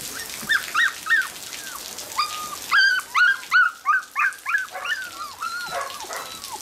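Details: Border Collie puppies, black-and-white and blue merle, born 25 September 2013, giving high whining squeals in bursts, several short rising-falling cries close together, then a run of quicker overlapping whimpers from more than one pup.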